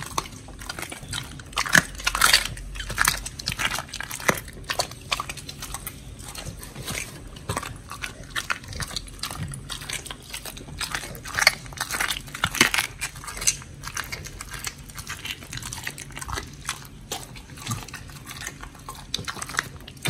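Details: Pit bulls Oli and Nommy gnawing raw giant white snapper, recorded October 21, 2023: steady crisp crunching and biting clicks repeat irregularly, occasionally louder snaps, over a soft background hum.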